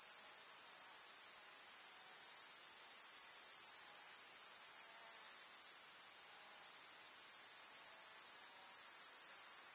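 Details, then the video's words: Grasshoppers trilling in a summer meadow of field flowers in the countryside: a dense, shrill, high insect buzz without breaks, many callers overlapping into one continuous sizzle. "КУЗНЕЧИКИ. Слушать звуки летнего луга"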